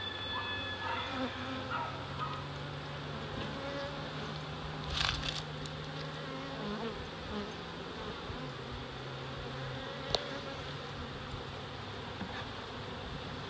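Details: Large early-season reproductive honey bee swarm of close to 7 lbs of bees, captured in Dale County, Alabama: dense, continuous, even buzzing with a low steady hum underneath and a few sharp knocks.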